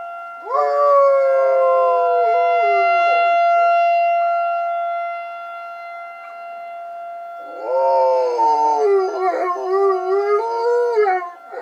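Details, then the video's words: Pet dog responding to a tornado siren with two drawn-out howls. The first rises quickly and then sags slowly. After a short pause a second, wobbling howl breaks into quavering notes, while the siren's steady tone runs throughout. "My dog howling at tornado siren"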